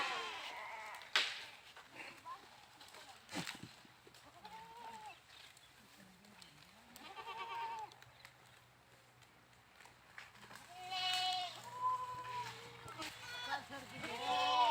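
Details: Goats bleating several times at intervals, short wavering cries growing louder toward the end, over a low steady hum and scattered knocks.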